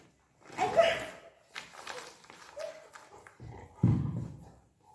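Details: Golden Retriever named Buzo, indoors, playfully keeping its owner from putting away a sack of rice; two short gruff low barks, one near the start and a deeper burst near the end, with a woman talking in Marathi between them.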